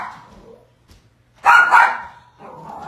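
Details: Pet Yorkshire Terrier, female, barking at home at a package left by the delivery man, which she attacks; two sharp barks in quick succession midway, with faint voices and indoor murmur before and after.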